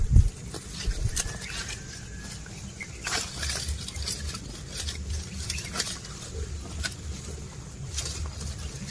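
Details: Grazing cattle, cows and bulls chewing grass as they walk: soft, irregular crunchy clicks and rustles come in quick succession, with a few sharper snaps over a low steady hum.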